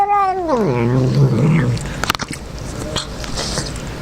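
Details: Male house cat guarding its wet food, growling when someone tries to pet it mid-meal; begins with a sharp yowl sliding steeply downward into a low, sustained rumbling growl, followed by clicking chewing sounds indoors.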